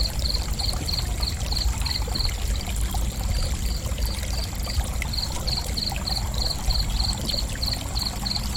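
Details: Crickets chirping in short pulsed bursts, high and bright, repeated in quick runs across the clip with brief pauses, over a steady low rushing like flowing water.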